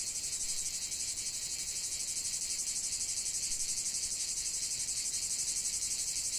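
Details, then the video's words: Chorus of cicadas singing in nature: a loud, continuous high-pitched buzz with a fast, even throbbing pulse and nothing else audible. "45 min de chant des cigales"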